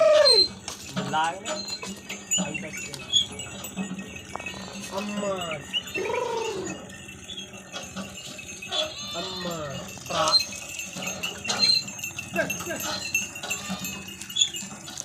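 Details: Goats in a village landscape give repeated quavering bleats, several short cries spaced a few seconds apart, with jingling bells and chime-like ringing throughout and faint voices.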